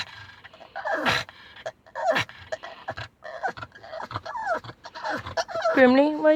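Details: Pug named Grimley, excited on arriving home, letting out a rapid run of high whining squeals and shrieks with sharp rising and falling sweeps, ending in a long wavering cry; a person laughs and talks nearby.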